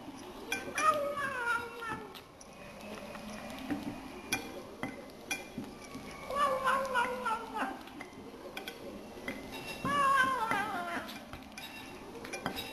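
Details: Eleven-week-old Burmese kitten eating chicken indoors, giving short tonal mewing murmurs in three bursts, rising and falling, among chewing and clicking sounds.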